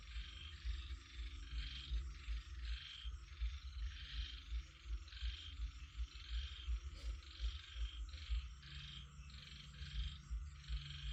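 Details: Night-time chorus of frogs: dense, pulsing low croaks repeat quickly and steadily, while a raspy upper layer of calls rises and falls in short waves, with a single sharp click near the middle.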